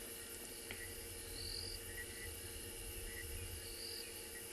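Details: Crickets on an afternoon game drive in a South African reserve in October make a steady, high, ringing chorus, the hum of the arriving wet season, with a few higher chirps over a low rumble.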